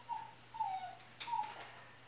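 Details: Dog left alone at home indoors, whining in three thin high whimpers, each drawn out and slightly falling, with a short clatter between them in a quiet room.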